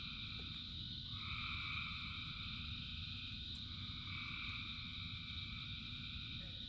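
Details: Frogs singing in the rain, a dense steady chorus with two longer trilled bouts swelling in the middle, above a continuous low roar of rainfall.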